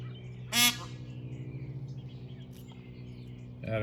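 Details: A lone peahen wandering about looking for her friends gives one short, loud, harsh honk near the start, over a steady low engine hum, with a woman's voice afterward.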